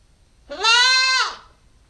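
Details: Single sustained bleat from a nine-week-old female Nubian goat kid on a GoPro recording, rising at the start, holding steady and bright with rich harmonics, then dropping away, lasting under a second in a quiet setting.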